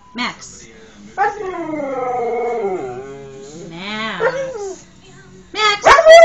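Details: Pet dog howling indoors in two long, smooth, wavering drawn-out tones, the second sliding down and up, while its owner talks to it and calls it to look at him.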